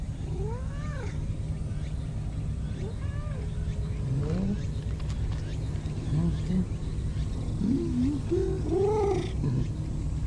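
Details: Free-roaming brown-and-white cat giving short chirping, rising-falling trilled meows, several in a row while hopping along to its usual bench; steady low engine rumble of traffic throughout and a brief human exclamation.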